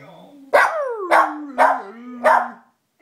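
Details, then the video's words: Two-year-old Lhasa Apso singing: four loud bark-like bursts about every half second over a continuous low howling tone that slides down and wavers. "Lhasa Apso Singing"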